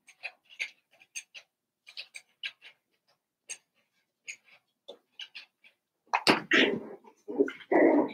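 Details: Seven-week-old Cavalier King Charles Spaniel puppies from Daisy's litter, indoors in a home puppy pen: thin high squeaking whimpers come in quick, irregular bursts, then louder, harsher yelping cries break out near the end.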